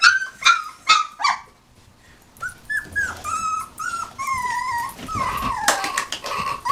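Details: Nineteen-day-old puppies whimpering: a few short high squeaks, a brief pause, then a run of thin whining cries that rise and fall, several voices overlapping, with sharper yips near the end.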